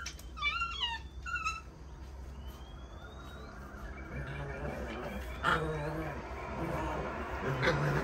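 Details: Puppies playing, with a few high, quickly falling whines in rapid succession at the start, then quieter scattered growly sounds and soft whimpers beneath a low steady hum.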